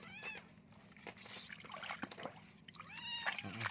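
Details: Kitten full of fleas crying during a bath: two short arched meows, one at the start and another near the end, separated by splashing water and handling noises.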